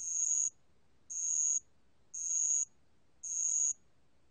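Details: Bell cricket, 2020 National Institute of Biological Resources recording: sharp, high ringing trill pulses of about half a second, repeated at a steady one-second beat, with a fifth burst just beginning at the end.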